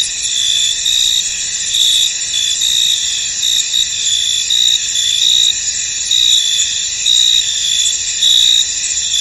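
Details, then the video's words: Crickets in a misty, foggy field: a dense, shrill, steady high chorus, with brighter pulsed chirps rising above it in short bursts roughly every second, and no other sounds. "Tranquil Cricket Sounds In An Misty Field"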